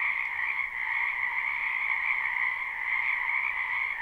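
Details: Croaking frogs fill a spring wetland behind a house in this live recording: a steady, dense buzz of many overlapping callers, high and bright, unchanging in rhythm and free of other noise.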